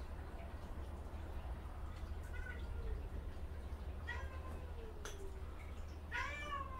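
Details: Gentle female cat annoyed by her kittens, indoors: scattered short meows, a falling one at four seconds and a louder rising-falling meow near the end, over a constant low hum with a woman speaking around it.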